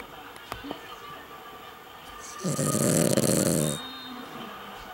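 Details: Female Cavalier King Charles Spaniel, worn out after a drive with the family, snoring. One loud, rasping, broad snore lasts over a second, with human voices talking around it.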